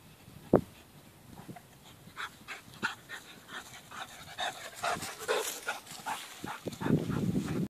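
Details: Male Labrador Retriever, a sharp click at the start, then a run of breathy, rasping panting puffs that swell in the middle and close with a louder low huff.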